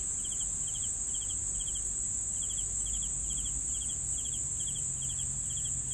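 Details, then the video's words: Repeated cricket chirps, a dozen pulsed high bursts in six seconds at a steady rhythm, set against a constant sizzling insect trill and a light low hum. "CRICKETS SOUNDS"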